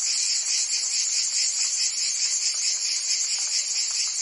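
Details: Brief burst of summer cicada song in Provence, France, an intense continuous shrill buzz with quick pulsations and steady loudness.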